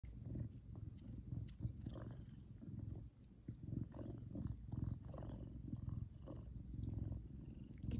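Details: Large male Savannah cat purring while happy, a low, rough, continuous rumble pulsing steadily, with faint rustling above it.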